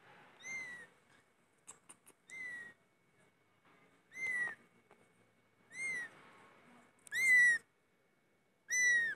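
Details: Cats meowing loudly: a run of six brief, high, clear meows with a downward curl, arriving at uneven gaps of one to two seconds, plus a few faint clicks in the quiet stretches.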